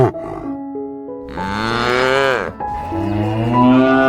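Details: A cow lows twice: a short tonal sound opens, then a long, rich moo swells and bends downward, followed by a second drawn-out moo, with soft sustained music tones underneath.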